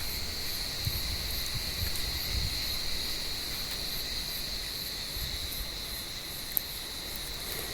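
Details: On a warm evening, cicadas in an olive tree give a continuous shrill, buzzing drone with faint, irregular pulsing, while cats hunt among the branches; a single sharp click near the end stands out against low background rumble.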